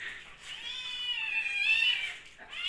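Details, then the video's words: Kitten hungry indoors during lockdown, one long, drawn-out high meow swelling toward its end, then a brief second cry starting. "During Lockdown Kittens Are Hungry"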